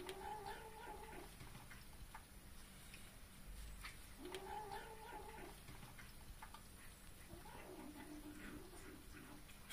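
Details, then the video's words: A cat eating turkey gives an odd, drawn-out moaning noise, low and wavering, heard three times about four seconds apart. Each one is faint against a steady background hiss. "Cat makes weird noise while eating"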